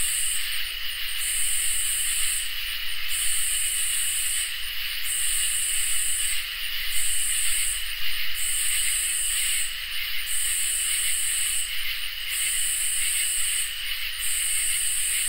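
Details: Crickets and katydids sing in a summer night chorus: a steady, shrill high trill runs without pause beneath loud hissing bursts that switch on and off about every two seconds, nine times over, with faint low rumble underneath.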